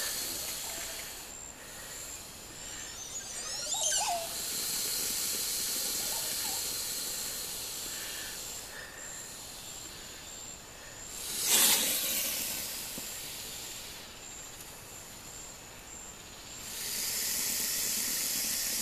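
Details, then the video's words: Boa constrictor hissing defensively at Pico Bonito lodge, Honduras, in April 2017. Drawn-out airy hisses come in several spells, with a short loud burst near the middle, over a constant high-pitched insect drone. "Defensive Boa Constrictor"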